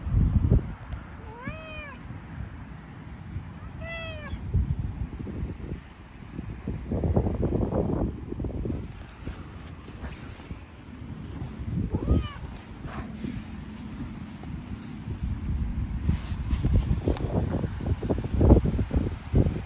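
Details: A sick black cat with a runny nose, outdoors, gives a few rising-then-falling meows near the start and once more midway. Strong low rumbling traffic-like noise and scattered knocks run throughout.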